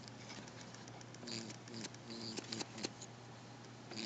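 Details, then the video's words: An unneutered male rabbit in a confined space gives soft, low buzzing bursts, a sexual sound not all rabbits make, over a steady hum, then thumps at the end because his attention isn't returned. "Butterscotch the Buzzing Bunny"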